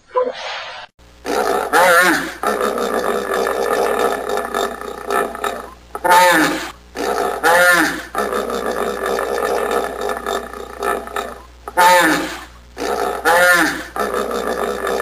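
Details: Drawn-out hippopotamus roaring: long, coarse, droning bellows cut by brief gaps, with sharper honking bursts recurring every few seconds over a steady low rumble.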